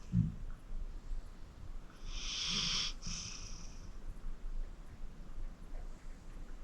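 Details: Acorn, a 14-year-old pit bull rescued from the Cuyahoga County Animal Shelter, sleeping deeply; one breathy, hissing snore swells and fades midway through an otherwise quiet stretch.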